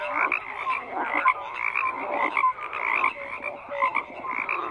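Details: Dense chorus of croaking frogs, repeated pulsed croaks swelling in waves with short bright notes scattered among them and no other sounds.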